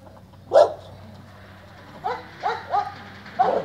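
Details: Old English and French Mastiff mix dog giving short yelping barks, one at the start and then a quick cluster of four near the end, with faint background hum between them.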